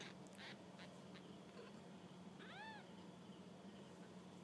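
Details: Scratchy rustles and taps come first, then one clear rising-and-falling kitten mew rings out as the young cats explore on their first walk about.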